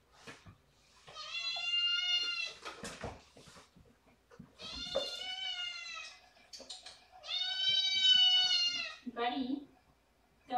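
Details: Domestic cat loudly demanding its dinner indoors while a person prepares eye drops first; long drawn-out meows with rich harmonics, three main wails around 1–3, 5–6 and 7.5–9 seconds, a person speaking softly between them.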